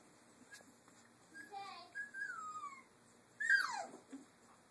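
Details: Caged three-week-old Doberman puppies at play let out thin, falling whines, ending in a louder squeal that drops sharply in pitch, over quiet room background.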